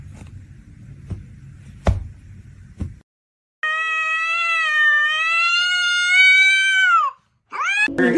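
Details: A cat gives one long, steady, drawn-out meow lasting about three and a half seconds, holding its pitch before sliding downward at the end. It follows faint knocks and murmuring, and a brief cry comes after.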